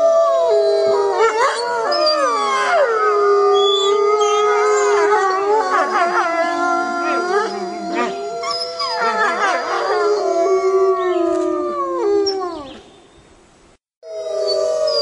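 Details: Night chorus of a wolf pack communicating and hunting, with several howls overlapping, rising and falling in wavering glides, short yips mixed in, dropping to near silence for a moment before howling resumes.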